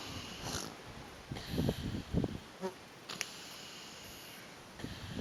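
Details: Northern elephant seal pups sunbathing on San Benito Island, Baja, snore in low, rumbling, gurgling bursts over a steady background hiss.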